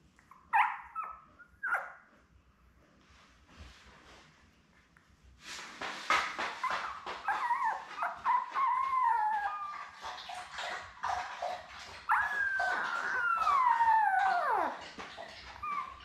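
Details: Two sharp squeaks, a soft pause, then a litter of seven young Labrador Retriever puppies with mother Belle breaks into long wavering whines and sliding cries over constant rustling bedding.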